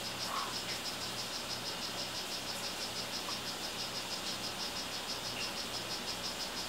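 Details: Captive male strawberry poison-dart frog of the 'rio guarumo' form calling: short, high, buzzy chirps repeated about three times a second in a steady series, over a constant low electrical hum and faint hiss.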